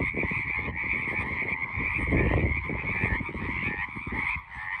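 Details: A steady roadside frog chorus, high trilled croaks merging into a constant ringing band, accompanied by strong low rumbling and crackling noise throughout.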